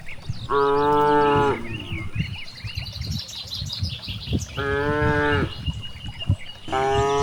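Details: Rice-field cows out grazing let out three steady, even-pitched moos roughly every three seconds, while small birds chirp and twitter steadily behind them.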